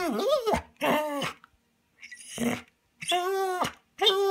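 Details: Manda the Bernese Mountain Dog, shut inside a cabin and wanting to join a walk, gives a few short, bent, moaning 'talk' syllables with brief silences between them.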